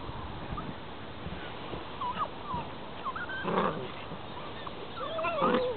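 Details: Several 7.5-week-old Grand Basset Griffon Vendéen pups at play in the paddocks give scattered thin, whining yelps and a longer wavering squeal near the end, over a rough outdoor background.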